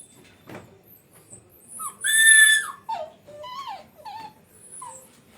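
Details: Indian pariah dog puppy whining on an evening in July 2025: a loud, sustained, high whine, then several short falling whimpers in a row, amid soft household noise and quiet speech.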